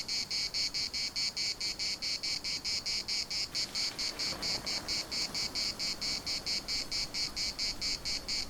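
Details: Municipal park cicadas, Larnaca, in full chorus: a loud, shrill, rasping pulse repeating quickly and evenly, close to five beats a second, continuing the whole time above a quiet, breathy background.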